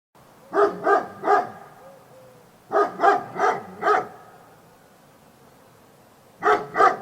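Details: Dog barking in three bursts of sharp, short barks, three then four then two, each bark about a third of a second apart.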